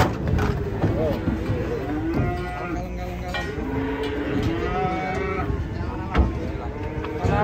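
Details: Cattle being unloaded from a truck, giving drawn-out, low, droning moos with rich harmonics, one long call running through the middle seconds, over steady low rumble, knocks and clatter, with a sharp thump near the end.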